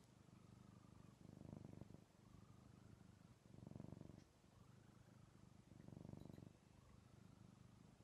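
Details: Snuggling male house cat purring loudly against its owner indoors with the television paused; steady low rumble pulsing in rhythmic swells about every two and a half seconds, three louder breaths over a continuous purr.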